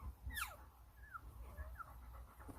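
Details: One-day-old Golden Retriever puppies from a litter of nine in Naju, Nampyeong-eup, Korea. One sharp squeal falls steeply in pitch, followed by a few faint, short chirps over low background rumble.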